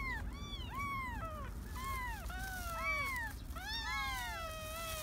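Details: Three newborn kittens of a stray cat in a garden, giving high, arched meows with bright harmonics, many overlapping in quick succession, some rising then falling, over a low background rumble.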